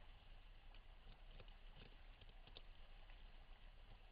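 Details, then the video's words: A pair of beavers gnaw a cottonwood tree at night in Weld County, Colorado, recorded on a trail camera. Soft, uneven crunching and scraping bites come several a second over a low steady rumble; the tree looks set to fall within nights. "Beavers Gnawing Down a Cottonwood Tree"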